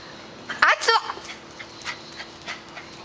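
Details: A young female Great Dane puppy kept with papillon dogs lets out two quick high yelps in close succession. Softer brief sounds and a person speaking names follow at the end.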